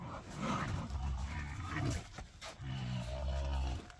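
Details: Young rhinos talk back to a keeper as their early milk feed ends: two long, low droning moans, each lasting about a second, with background handling noise.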